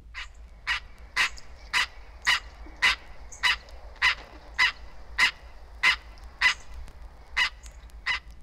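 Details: In Florida, a green treefrog (Hyla cinerea) gives its rain call, a sharp nasal note repeated steadily about twice a second. The call seems to come before rainstorms, perhaps cued by rising humidity or a barometric change, and differs from the male mating call.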